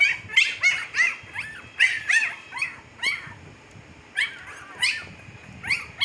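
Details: Fifteen-day-old Siberian Husky puppies in Pakistan squeal rapidly and almost continuously, piercing descending whimpers tumbling over one another, with a short lull before the calls resume.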